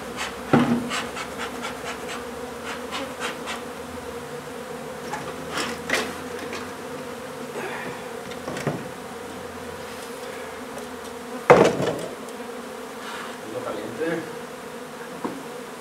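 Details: Honey bee colony disturbed during a hive removal from an old home under renovation in Donna, Texas: steady droning hum of many bees with a low harmonic band, broken by sharp knocks and taps of tools against wood.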